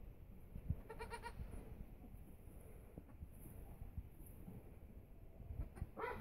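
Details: A Nubian goat that has just given birth lets out a brief, high, wavering bleat, then after a pause another bleat that climbs in pitch, over a steady low background rumble.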